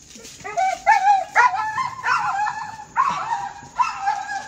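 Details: An excited dog with the zoomies, pulling its owner along on rollerblades, lets out drawn-out, wavering whines and yelps in several bursts, with a person's voice nearby.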